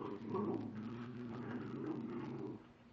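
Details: Dexter, a pet dog in a small room, vocalising to coax back his bone from Chica: a sustained, low grumbling whine-growl lasting about two and a half seconds, then quiet.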